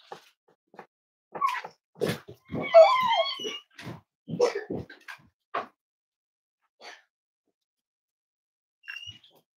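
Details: Cavalier King Charles Spaniel puppies snuggling indoors in a home raising emotional support animals on a warm Friday morning; a short wavering, high-pitched whine rises and falls midway, surrounded by soft rustling, snuffling and shuffling noises.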